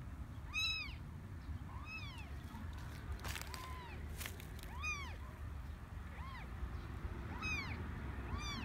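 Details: Three newborn kittens of a stray cat in a garden nest lined with cotton; thin high arched meows repeat about once a second, around nine in all, over a steady low rumble and a few soft clicks.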